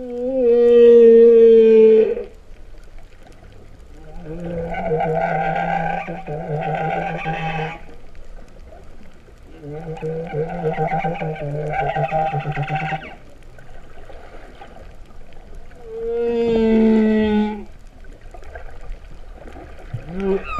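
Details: Cow-like song of humpback whales heard underwater at Vava'u, Tonga, September 2015: clear tonal moans alternate with rough buzzing groans, about five units spread over twenty seconds with short quiet spaces between.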